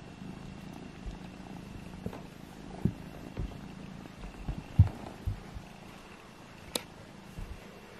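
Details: Kittens Alfonso and Amur play-fighting indoors to see which is strongest; a soft, low, steady purr hums underneath, broken by scattered thumps and light knocks from the tussle.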